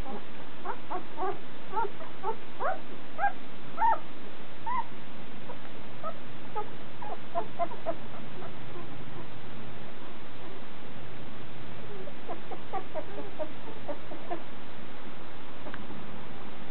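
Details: Irish Terrier puppy, one and a half weeks old, trying to walk for the first time, giving many faint, short squeaky whimpers in quick irregular bursts over steady background hiss.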